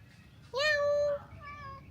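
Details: A domestic cat at a motorbike rental shop in Ubud, Bali, meows back when spoken to: a clear, drawn-out meow, followed by a softer, higher note.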